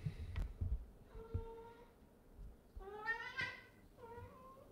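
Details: Orange cat indoors with another cat, one shoving its rear into the other's face; a few soft, short meows, the middle one louder and slightly rising, over low rumbling handling noise and a person talking.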